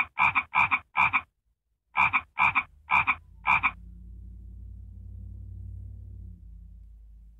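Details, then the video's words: Frog making what is called an annoying sound: seven short, raspy double-pulsed croaks, three quick ones, a pause of nearly a second, then four more, followed by a low steady hum. "Annoying frog sound??"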